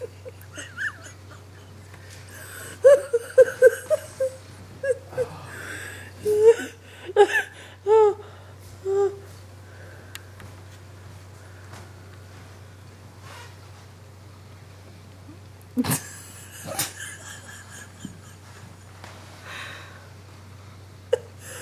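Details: Bloodhound Wilma, a female dog resting content while wearing glasses and a Sherlock hat, gives a run of high, wavering whimpering whines between three and nine seconds, then falls quiet; a steady low hum runs throughout, with a few sharp knocks later.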